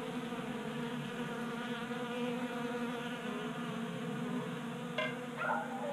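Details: Honey bees feeding from a 3D printed tray feeder in a Colorado garage during a warm January; steady droning buzz, joined near the end by a brief click and a short higher whine of a passing bee.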